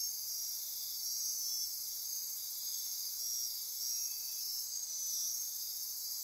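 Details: Costa Rican rainforest insects after dark near Corcovado National Park on the Osa Peninsula, a continuous high buzzing drone with pulsing trills repeating roughly each second over the steady background.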